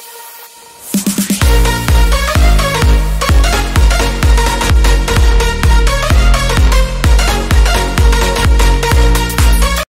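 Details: Loud electronic dance music with a steady pounding beat and a bright synth line plays throughout.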